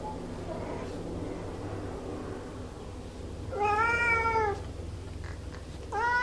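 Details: Domestic cat giving two clear meows: a long arched wail that rises and falls, then after a pause a second, shorter rising meow cut off at the end, with faint earlier mewing against a low background hum.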